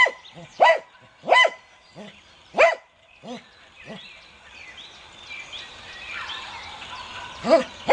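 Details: Barks from a Cocker Spaniel come singly, about once a second, each a short sharp yelp. They are followed by a stretch of faint rustling background before one more bark near the end.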